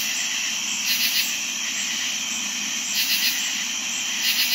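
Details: On a warm summer night, crickets trill in a high, unbroken chorus while katydids add brief raspy bursts every second or two.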